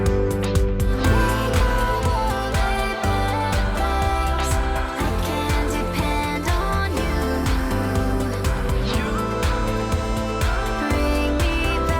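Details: Loud upbeat music with singing throughout, and no animal voice heard.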